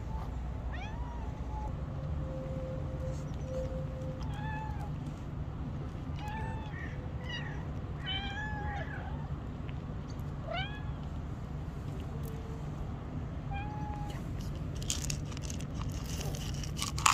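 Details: Stray street cats giving several short, bending meows in quick succession, some overlapping, against constant low-pitched background hum and occasional outdoor clatter near the end.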